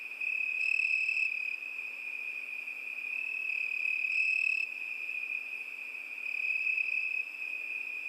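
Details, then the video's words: Summer-night chorus of crickets, a continuous shrill trill at an even pitch, swelling and easing in loudness every few seconds while a second, higher insect tone switches on and off. "ЗВУКИ ЛЕТНЕЙ НОЧИ. ПОЮТ СВЕРЧКИ."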